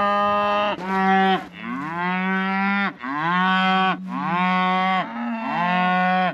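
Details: Scottish Highland cattle mooing loudly because a calf is out; long, steady harmonic moos overlap almost without pause, several rising at the end, with no other sounds.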